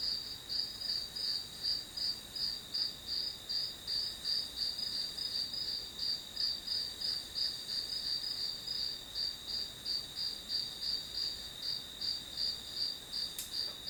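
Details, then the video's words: Grass insects sing a long, shrill pulsed trill, close to three beats per second and very regular, ending with a single faint click. "풀벌레 소리"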